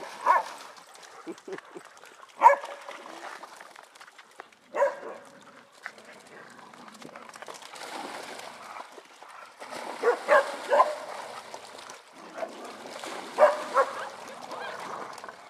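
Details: Playing dogs at a pond let out scattered barks and yips in irregular bursts, some spaced a couple of seconds apart and others clustered, mixed with human speech and outdoor ambience.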